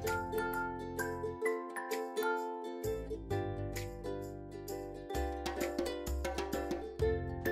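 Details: Playful ukulele and glockenspiel music with bouncing mallet notes and short pauses, with no animal sounds.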